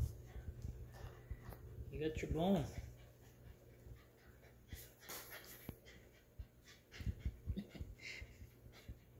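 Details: A male Corgi gives a brief, pitched, wavering whine, begging to play fetch, amid a person's speech.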